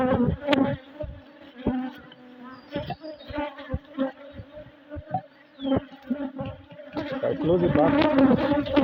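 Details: Colony of honey bees building comb, recorded during a hive inspection; an even, low buzzing drone throughout, louder and denser toward the end, punctuated by scattered clicks and taps from the hive.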